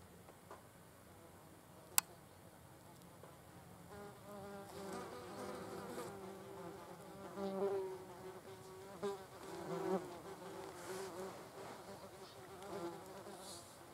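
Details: Wasps feeding on a carcass. After a quiet opening broken by a sharp click, buzzing wings swell in from about the fourth second, wavering and pulsing louder and softer as wasps fly near and away.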